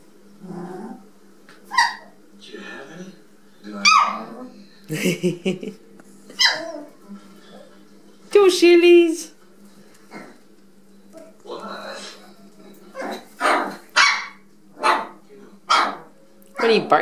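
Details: Rat Terrier puppies just over four weeks old, playing indoors with their mother and toys on September 29, 2018; short high yips and barks come in bursts, one longer harmonic yelp midway, with a woman talking to the puppies between calls.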